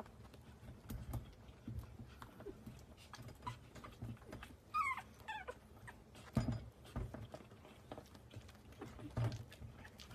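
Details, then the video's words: Chihuahua puppies giving a brief burst of thin, high whimpers near the middle, a short wavering squeak or two, amid soft rustling, tapping and handling noises. "Chihuahua puppies"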